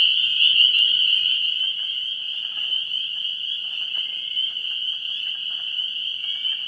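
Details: Frogs at a vernal pool on 17 March 2016 in early spring, a steady shrill chorus of overlapping high calls, loudest in the first second then slightly softer, with faint pulsing individual calls within the drone.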